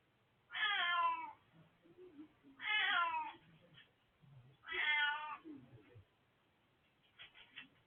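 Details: Domestic cat, an old male, recorded 20 March 2024, giving three loud harmonic meows about two seconds apart, each falling slightly in pitch, with faint quieter sounds between and a few soft clicks at the end.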